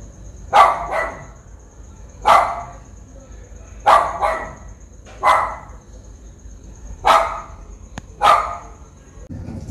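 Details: Japanese Spitz in Sri Lanka, recorded with a Nikon COOLPIX P1000, barking in loud, sharp doubled yaps: three pairs of barks spaced roughly one and a half seconds apart, with a faint steady high whine behind.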